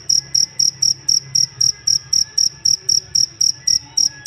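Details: Cricket singing as a master sound for songbirds, producing a quick string of crisp, high ringing pulses around four per second, about seventeen in all, over faint low hum.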